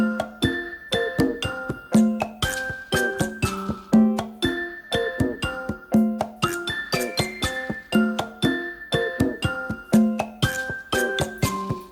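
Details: A tinkling, bell-like music-box melody plays, repeating its phrase about every two seconds, with no bird or other animal voice heard.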